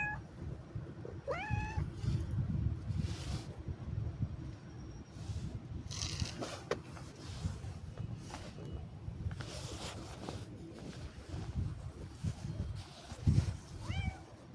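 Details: A pet cat on a little walk outdoors gives short rising meows, one early and one near the end, over steady low rumble of wind and movement with scattered rustling.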